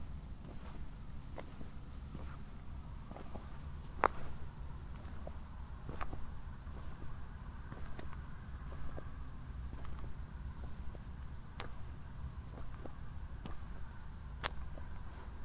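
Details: Crickets chirping on a night walk in Zwettl, Austria, following a thunderstorm: a faint, high, evenly pulsed trill continues under regular footsteps, with one louder click around the fourth second.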